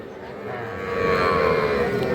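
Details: Cattle at Aftabganj calf market in Bangladesh, where heifer calves are traded: a sustained droning moo with steady harmonic tone, rising slightly in loudness, over a background of crowd murmur.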